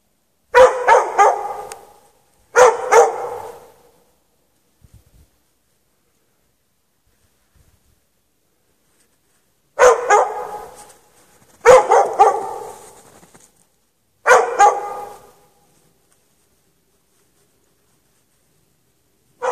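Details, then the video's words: Barking from a dog chained in the snow with no shelter on a March night, 8 to past 11:30 PM: short volleys of two or three quick harsh barks, spaced by long silent gaps. "Dog barking chained out in the snow"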